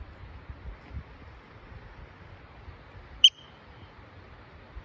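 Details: A yellow-bellied marmot gives one sharp, high chirp over a low rumble of wind on the Blue Lake trail in Indian Peaks Wilderness, Colorado.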